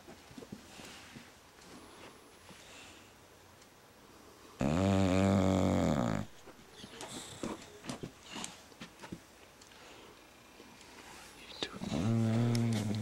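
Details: Female bulldog snoring while asleep indoors, recorded January 15, 2010: two loud, rough, harmonic-rich snores, each lasting one to two seconds, about seven seconds apart, with soft breathing and faint clicks between them.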